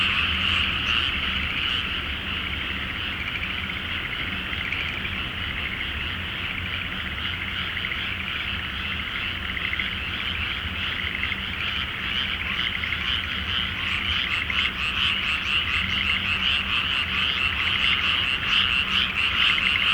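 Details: Large frog chorus at night in a flooded rice field before planting, under a full moon in Japan: dense, continuous rattling croaks blending into a steady wall of sound, with a faint low hum beneath.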